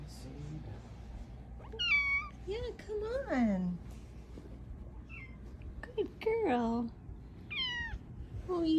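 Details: A female Bengal cat gives loud, drawn-out meows that rise then slide downward, repeated in insistent bursts: her loudest meow, used at 4am to wake her owners every morning.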